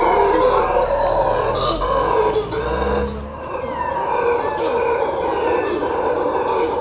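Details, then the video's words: Howler monkeys near Quepos, Costa Rica, roar without pause. The deep, grunting, rasping howls stay loud throughout, dipping briefly around the three-second mark before building again into a dense, eerie chorus. "Costa Rica Howler Monkeys, Quepos, Costa Rica"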